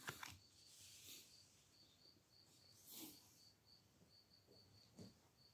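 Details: Crickets beginning to sing in the background during an indoor card reading, heard in late spring; a soft, high, thin chirping repeated in quick pulsed bursts throughout, with occasional faint knocks and handling sounds.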